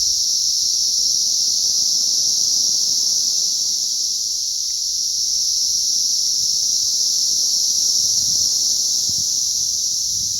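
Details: Cicada hatch on May 20th 2034, countless insects merging into one steady, high-pitched shrilling drone that never breaks, with faint low-pitched noise in the background.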